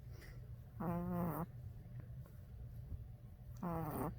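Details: A tired Boston Terrier puppy snores with buzzy, nasal breaths about every three seconds.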